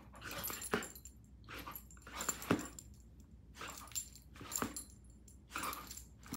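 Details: Great Pyrenees dog up for adoption, recorded 17 October 2023: six short, rough, broadband vocal bursts spaced about a second apart, fairly quiet, with brief pauses between them.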